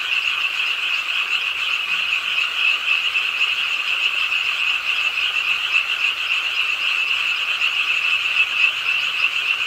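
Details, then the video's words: Frogs croaking at a pond in Suwon's Ingye Art Park, South Korea, late on a rainy night; a dense, steady chorus of rapid pulsed croaks with a bright ringing tone, overlapping without pause, over a soft hiss of rain. "비오는 밤 개구리소리"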